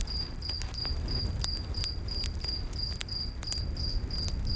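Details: Crickets calling in a night forest beside a campfire: steady high chirps repeated several times a second, overlaid by sharp crackles and pops of burning wood and a low rumbling background.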